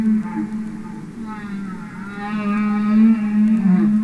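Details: Underwater humpback whale singing: a long low sustained moan with rich harmonics, wavering slightly and swelling louder toward the end, over a soft background hiss.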